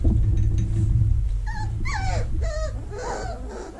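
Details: Vizsla puppies in their whelping box in early October 2020, during cleaning and vacuuming: several short, high whimpering whines, some rising then sliding down, over a steady low rumbling vacuum cleaner hum.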